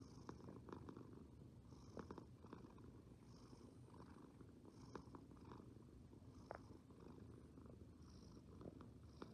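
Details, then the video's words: Resting cat purring steadily: a continuous low rumbling throb with soft rhythmic pulses, punctuated by faint brief clicks and higher breathy hisses at each breath, recorded close up in a quiet room. "Purrs in Progress…"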